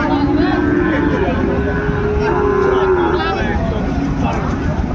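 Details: Sahiwal bull calves for sale at the start of market day at Ambari cattle market, Dinajpur, Bangladesh, on 27 February; one long, low, drawn-out moo held steady for about three seconds, over crowd chatter and vehicle noise.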